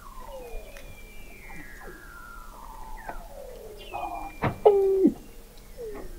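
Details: Weddell seals calling beneath the sea ice of McMurdo Sound, Antarctica, November 2017, from a 21 m deep observatory: long descending whistled glides, then a loud sharp pulse and a strong stepped tone falling at the end.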